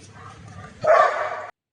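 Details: Kombai dog, a guard breed fierce toward strangers yet affectionate to its owner, showing aggression with one loud, harsh bark of under a second after quiet low background sound.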